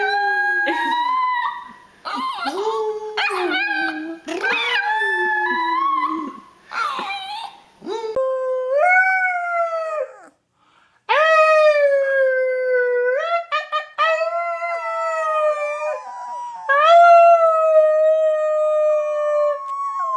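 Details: Young puppy howling: quick yips and wavering cries at first, then long drawn-out howls that slide upward and hold steady, several in a row after a short pause, with faint voices.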